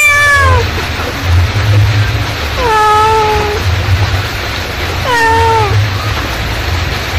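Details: A mother cat calls to her kittens: three sliding, falling meows, one every two to three seconds, the last ones short and downturned, set against a constant deep background drone.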